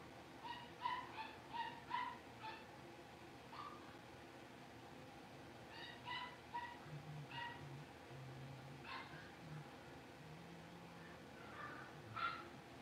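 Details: Blenheim Cavalier King Charles Spaniel puppies, a litter of five born at New Year's, newly moved into a bigger home pen. Rapid high-pitched yips and thin whimpering whines come in runs, with low household background noise.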